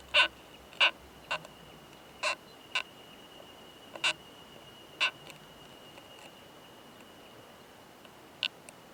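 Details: During mating in an alpine pine forest, a male Oomadarakokunusuto beetle produces loud metallic "kan kan kan" knocks, about ten sharp clicks in quick uneven succession, then a gap before a final pair, with a faint steady high tone underneath.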